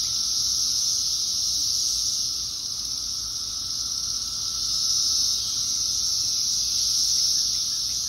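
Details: Brood X periodical cicadas in 2021, thousands in one tree in Fairfax, Virginia, forming a loud continuous shrill drone that swells and eases slightly over several seconds.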